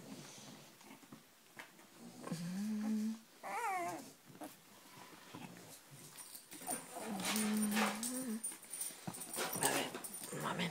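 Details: Cavalier King Charles Spaniel whining indoors: drawn-out level whines, then a quick series of falling squeaks, then another long whine, with a woman's soft voice and rustling nearby.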